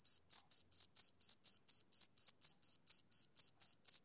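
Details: Shrill, even chirps from a male cricket, some sixteen in four seconds. Each note is short and tonal, with clean gaps between them, and no other noise.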